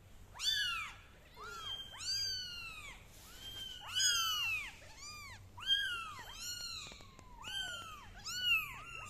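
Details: Kittens on a carpet cry almost nonstop, their shrill rising-and-falling meows overlapping as several call at once, each lasting under a second and repeating every second or so, over a quiet room.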